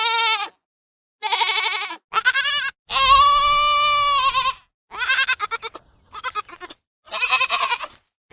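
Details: Young goats giving loud, wavering bleats, some short and choppy, one drawn out for over a second and a half, in quick succession with little background sound.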